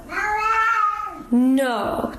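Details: Pet cat indoors answering its owner with two drawn-out meows: a long level, harmonic wail followed by a sharper rising one, close and loud in a small room.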